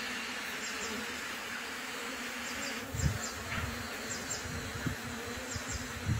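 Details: Colony of bees in a new hive during its first two weeks makes an unbroken, droning hum; short low thumps and rumbles break in every second or so in the second half.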